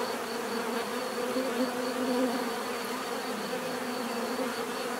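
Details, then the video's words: Many bees humming together in an even, continuous buzz, with a brief louder swell near the middle as one passes closer; natural bee sound meant for relaxation. "bees therapy relaxing natural buzzing sound"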